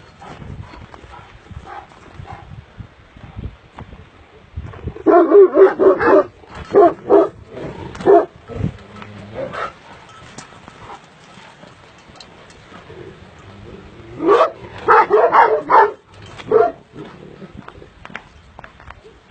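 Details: Illyrian shepherd dog, a purebred Sharr dog, barking in two bursts of rapid, deep barks, about four a second, with a quiet stretch of low outdoor noise between the bursts. Amateur footage.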